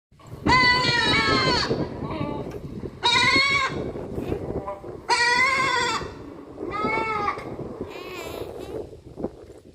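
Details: Goat bleating: four loud, quavering, harmonic-rich bleats, each about one to one and a half seconds long, spaced roughly every two seconds, with a softer fifth call at the end over faint background noise.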